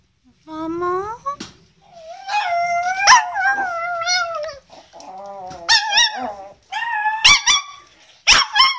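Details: Chihuahua vocalising in a singing manner: a low rising whine swells into wavering, drawn-out howls, followed by bursts of high yelps and short rising cries near the end.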